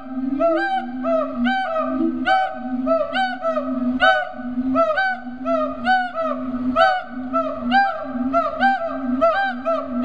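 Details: Siamangs calling in their enclosure at Riverbanks Zoo in Columbia, South Carolina. Resonant hooting notes repeat steadily about once a second. Each note bends upward, stacked with strong harmonics, and the calling continues without a break.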